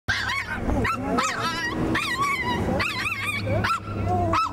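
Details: A small white Maltese dog freaking out at the sight of another dog, giving rapid high-pitched yappy barks and whining yelps in quick bursts, loud and shrill throughout.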